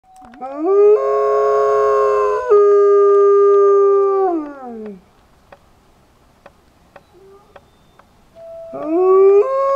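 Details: Pack of wolves in Idaho howling after a man howled to a white wolf: a long harmonic howl swoops up, holds steady with a second voice layered above, then slides down and fades, followed by near silence and a new rising howl at the end.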